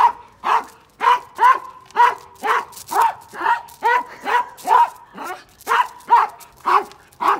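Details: A female Akita, grown huge but still childlike at heart, barking in a steady series of short, mid-pitched woofs, about one each half second, with some whiny overtones between barks.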